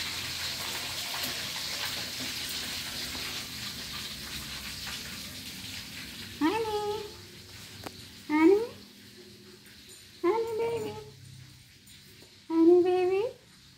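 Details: Domestic cat giving four separate rising, nasal meows at intervals of about two seconds, each swelling upward in pitch, over a quiet indoor background with faint hiss.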